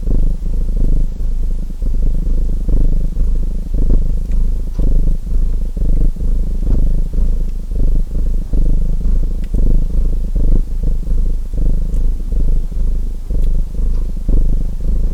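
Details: Domestic cat purring without pause, a dense low vibration broken into quick breath pulses, sparse snaps of a fireplace audible underneath.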